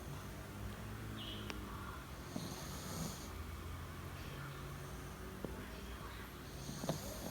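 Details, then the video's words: Yorkshire Terrier sleeping uninvited in a person's bed, recorded 28 February 2019 at 09:15; soft snoring breaths with airy hissing bursts near three and seven seconds over a low, quiet indoor hum. "人のベッドで勝手に寝るヨーキー💤寝息がたまらんくらい可愛い❤️Sleeping Yorkshire Terrier💤打鼾的約克夏"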